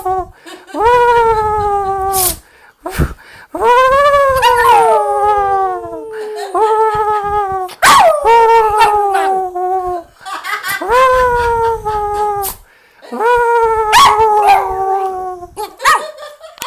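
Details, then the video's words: A Jack Russell Terrier attempting to talk: a run of rising-then-falling howls and whines, some sharply swooping, interrupted by brief clicks and knocks between phrases. "Dog Jack Russell talking"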